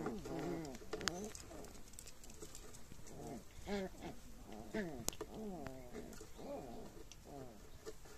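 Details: Red male Shiba Inu puppies at day 46 whimpering in a run of short, wavering, tonal whines, roughly one each second, some rising then falling, over a steady background hiss.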